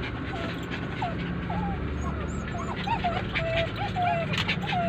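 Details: Crying poodles with the owner away, giving a quick run of high, wavering whimpers, some rising and some falling, packed close together against constant low traffic rumble.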